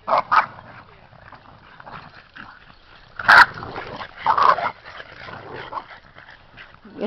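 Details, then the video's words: Boston Terrier puppies, seven of them, play-fighting in a yard. A pair of quick sharp barks opens, with louder yaps at three and four and a half seconds, soft scuffling growls between and a person talking gently. "7 boston puppies wrestling"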